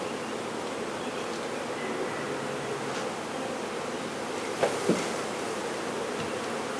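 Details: Swarm of honey bees being removed: continuous low, thick buzzing from many insects, constant in loudness, broken near the end by two sharp knocks close together.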